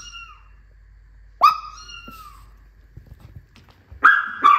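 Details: Maltese dog reacting to cat sounds: a drawn-out high whine that slides gently downward and fades, a brief pause, then a sharper whine followed by two short, harsh barks near the end.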